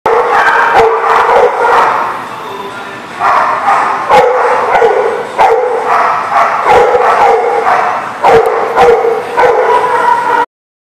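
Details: Dogs at The Barking Lot, recorded 20 July 2019, barking repeatedly in loud overlapping bursts, sharp yaps mixed with longer voiced barks, nearly continuous for ten seconds.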